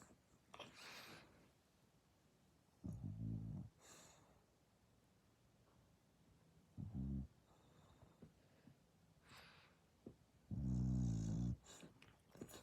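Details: Sleeping indoors, the pet dog Dasha lets out three loud, deep snores, the last one longest and strongest, separated by quiet breathing and faint sniffs.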